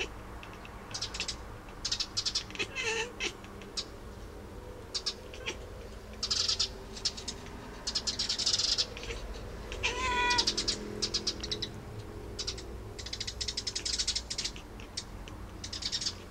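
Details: Pet cat vocalising at birds: scattered bursts of rapid clicking chatter, with a brief tonal meow around the middle, over steady low background hum.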